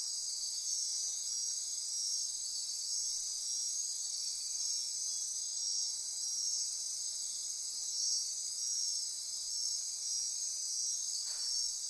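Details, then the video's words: Insects chorusing at midnight in Costa Rica's rainforest near Corcovado National Park on the Osa Peninsula: a dense, steady high-pitched buzzing and trilling wall of sound with pulsing bands, continuous throughout, no other clear sounds. "Costa Rica Rainforest - Midnight Insect Chorus"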